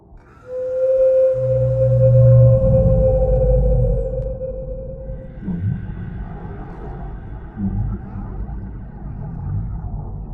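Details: Whale sound in a children's collection of sea animal sounds: a long steady mid-pitched moan holds for about five seconds, with deeper rumbling tones beneath and music playing throughout.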